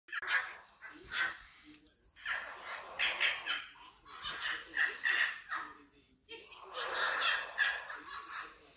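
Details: Female foxes fighting, uttering harsh, raspy screaming bursts in rapid uneven runs, with short breaks between outbursts.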